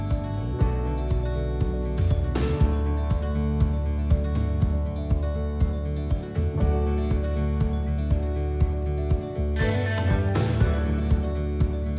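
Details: Steady instrumental music with guitar and a regular beat, and no animal voice.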